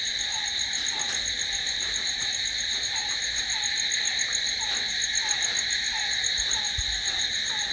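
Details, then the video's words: Crickets at night keep up a relentless high, shimmering trill, while a lower short downward note recurs at a brisk irregular rhythm, with one faint low knock late on. "Cricket sound"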